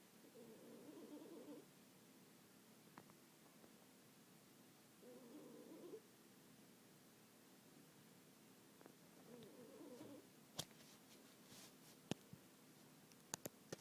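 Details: A cat snores in its sleep, three low, hoarse breaths spaced roughly four to five seconds apart, followed by scattered faint clicks and taps in a quiet room.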